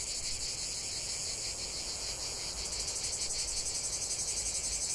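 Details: Continuous chorus of cicadas outdoors, a harsh high-pitched buzz made of fast regular pulses, unbroken across the whole stretch with no other distinct sounds.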